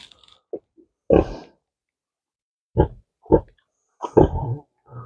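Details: Happy noises from a female Tamworth sow at home on a pasture farm: short, broadband grunts in bursts, a loud one near the start, then three more spaced about half a second to a second apart, with faint snuffling between.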